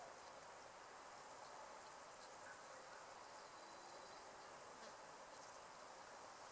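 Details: Great green bush-cricket (Tettigonia viridissima) song, a steady high-pitched buzzing hiss that runs on without a break, recorded in a wood meadow where an adult female was filmed climbing Field Scabious.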